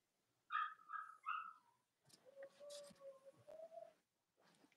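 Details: Young Cavalier King Charles Spaniel puppies, Robin's and Myra's litters, in the US on a chilly Monday morning: three quick nasal squealing whines, then a long thin steady whine under soft rustling and shuffling.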